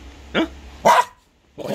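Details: Old mixed-breed house dog barking back after being told it has already been fed and asked if it wants more food; one short sharp bark preceded by a faint yip, with the owner's voice starting at the end.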